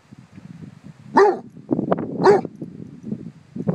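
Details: Basset Hounds facing a bumble bee give two sharp barks about a second apart over a steady background of low rumbling noise and movement.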